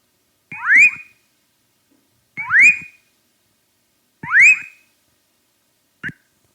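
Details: Leptodactylus fuscus, the whistling frog or rã-assoviadeira, named for its whistle-like advertisement call: three clear upward-sweeping whistles roughly every two seconds, followed by a brief clipped note at the end.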